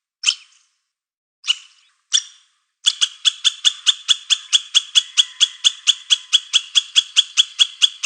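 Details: Squirrel gives three widely spaced sharp notes, then a rapid, regular series of about twenty dry clicking chucks, roughly three per second, in otherwise quiet surroundings.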